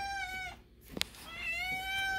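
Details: Adult male domestic cat meowing at feeding time, his voice likened to a kitten's: two long, high, clear meows, the first steady, the second gently sliding downward, separated by a brief pause with a small click.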